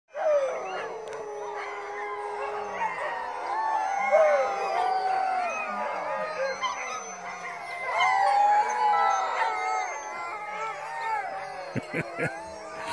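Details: A large chorus of about 140 sled dogs howling together in long, overlapping, wavering tones.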